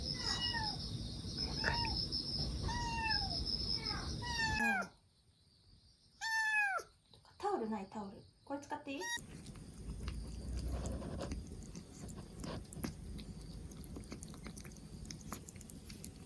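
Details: Rescued black Bombay kitten, two months old, on its fourth day after rescue and recovering from a cold with its cough gone. Repeated falling meows about once a second, a brief hush, then more meows, with people talking nearby.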